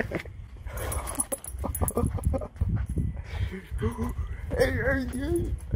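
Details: Husky howling and 'talking' with excitement, jealous over Halloween costumes with other pet dogs; wavering, whiny drawn-out notes that rise and dip in the latter half, over a person's speech and household noise.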